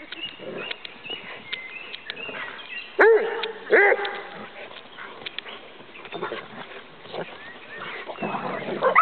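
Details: Rhodesian Ridgebacks romping together in play, giving two short, rising whining yelps a second apart amid constant scuffling, rustling and outdoor noise.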